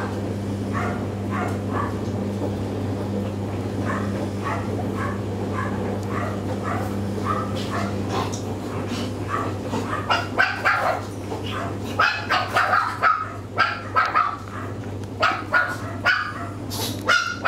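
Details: A litter of three Chihuahua puppies born 30 May 2013 whine and yip in thin, high-pitched squeaks that grow busier and louder toward the end, over a constant low electrical hum.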